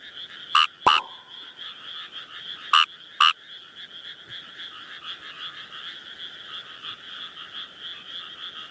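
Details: Kawamura's rice frog in the wild giving short, sharp rasping croaks, four in quick pairs, over a continuous buzzing chorus of many frogs; one sharp click.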